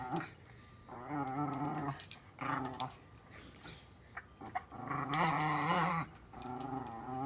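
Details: Welsh Terrier Shiloh growls while playing with a water bowl: drawn-out, wavering, tonal rumbles about a second long, repeated four times with short gaps filled by bowl clatter.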